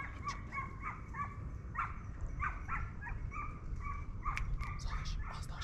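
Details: Hunting hounds on hare at the opening of the 2023-24 Turkish season, a chorus of quick high yelps and barks repeating several times a second, multiple dogs calling together in open country with low background rumble.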